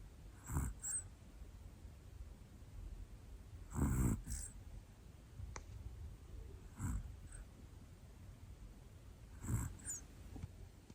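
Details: Asleep at home, Hana, a black female Pomeranian aged one, gives four rough, low snores roughly every three seconds, the loudest rattling, with small snuffles after some and a faint tick midway.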